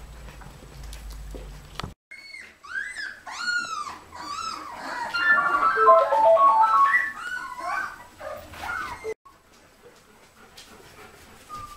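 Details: Puppies at their first meeting with their great-grandmother Oralee, high whining whimpers with rising and falling arched cries, clustered in a busy run of repeated short yelps in the middle, then quieter; faint music in the background.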